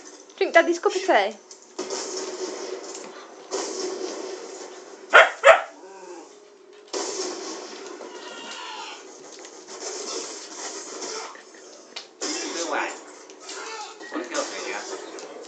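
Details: A female Siberian Husky wants attention and doesn't want her owner to play a game, so she whines and yowls in wavering, talkative bursts while a person speaks.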